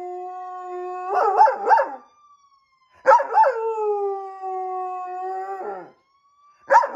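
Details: Rex, a police German Shepherd, howls in long, steady tones broken by wavering, yodelling bursts, set off by the sirens of a police car or fire engine, as he always does.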